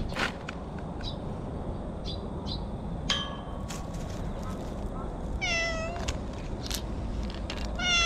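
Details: Stray cat calling from bushes in cat talk while being stroked, GoPro recording: several meows, one brief, one longer and descending, and one rising at the close, over steady rustling and scuffing.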